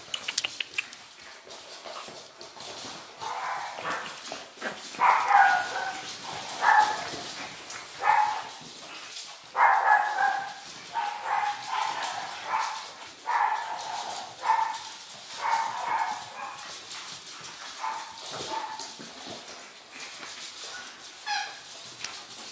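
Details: Pug puppies giving high, thin yelping whimpers in short irregular bursts, some cries rising then falling, clustered through the middle of the recording and easing off toward the end, with a soft hiss and light shuffling behind.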